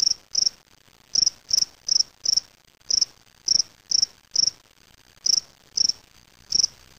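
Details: A male spring field cricket (Gryllus veletis), collected May 25, 2007 in Waterloo, Ontario, Canada, sings in a small cage: short, high, pulsing chirps repeated about every half second.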